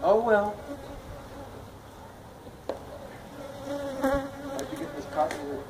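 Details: Honey bees of a feral colony nesting in a tractor tire at a citrus orchard in Mission, Texas, disturbed during removal. A continuous humming drone holds steady, with a rising-and-falling whine at the start and a few sharp clicks.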